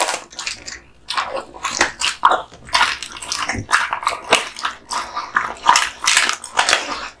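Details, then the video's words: Male American Bully Kotetsu, born 2016, gnawing duck spine jerky received as a gift; steady run of crisp, crackling bites and smacking mouth sounds, roughly two or three per second. "Dog eating Duck spine jerky"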